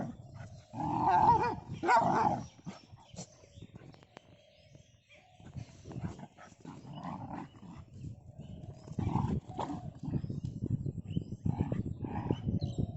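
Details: Village road dogs fighting outdoors: loud harsh barks and snarls in two bursts near the start, a quieter spell, then repeated growling barks resuming in uneven bouts with rustling and scuffling noise underneath.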